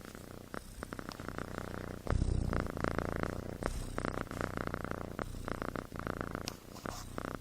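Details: Snoring from a sleeping kitten, described as human-like: a deep, grainy rumble with rhythmic pulsing, a louder breathy surge around two seconds, then steady drone with short dips; quiet indoor setting.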